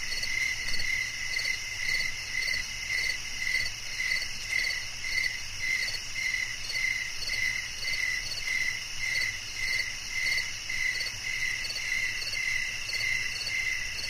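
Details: Cricket chirps used as a soothing sleep sound, a bright shrill pulse recurring just under twice per second, slightly uneven, layered over a continuous high insect buzz.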